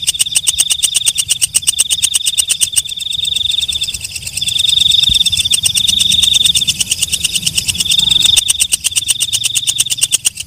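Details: Night katydid known locally as walang kecek: rapid dry ticking over a constant piercing high buzz. Smoother trilled stretches swell louder in the middle before the fast clicks return.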